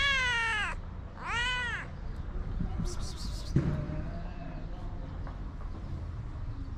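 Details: Hungry stray white cats with blue eyes on a Moroccan street, fed daily; two loud arching meows in the first two seconds, then quieter rustling and a soft thump over constant low traffic hum.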